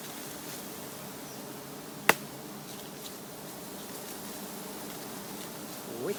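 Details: Giant honey bees in a colony hanging low beside a road, with people harvesting the nest. A steady low droning hum runs throughout, a sharp click sounds near two seconds, and faint rustling rises at the end.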